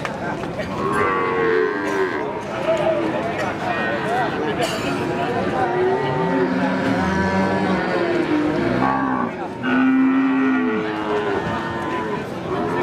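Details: Female Limousin cattle that have calved once, at the Pon cattle market in Jaken, Pati, Central Java: overlapping low, drawn-out moos from several cows, some rising and falling, over a steady hum of crowd chatter and market bustle.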